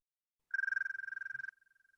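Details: An American toad of the Chicago region gives its trill, a steady, high musical tone of fast, even pulses. The call is the only reliable way to tell it from Fowler's toad during its short breeding season.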